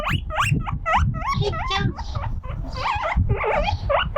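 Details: A guinea pig, alone and lonely while playing on a windy veranda, cries out loudly over the wind: a fast run of sharp, rising whistled squeals with bright overtones, some uneven and warbling, over low gusty wind rumble.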